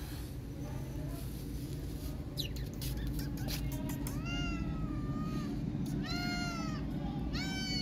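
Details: Street cat circling a tabby kitten and walking around her, giving drawn-out harmonic meows, some rising then falling, others arching, clustered in the second half over steady low background rumble and brief clicks.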